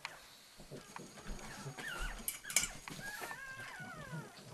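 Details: Female pug whining to let her male companion Willson know she must be let into the feed bowl; high, wavering whines that rise and fall, with brief snuffling and clicking noises between them.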